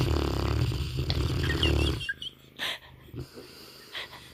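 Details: Banner, a sleeping Mastiff, lets out a loud, rough, low rumbling snore lasting about two seconds, then settles into quieter breathing with a few soft sniffs and a faint rustle indoors.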